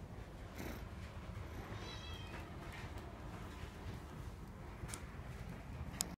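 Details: Black-and-white female Scottish Fold, born in 2018, giving a quiet, steady low purr throughout, with occasional soft higher tones and a sharp click at the end.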